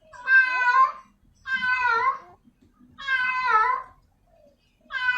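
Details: Female cat in heat calling for a male; long drawn, wavering harmonic meows, about one every one and a half seconds, with faint low background noises.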